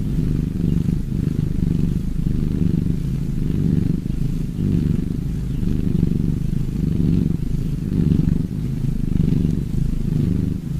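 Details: Cats purring in a close, steady low rumble that swells and eases in a regular breathing rhythm roughly every second, with no other sounds.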